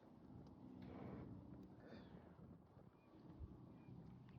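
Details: Big bull in deep sleep on a fluffy hay bed in the sun, head resting on a younger bull as other cattle spill hay and a heifer licks his face; one low, rumbling breath swells near one second, then softer breathing under wind-like hiss.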